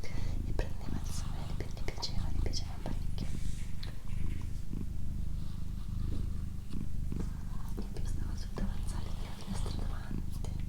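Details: A female pet cat named Doroti purrs indoors, a deep, even rumble that holds steady throughout, accompanied by quiet whispered speech and light clicks and rustles close to the microphone.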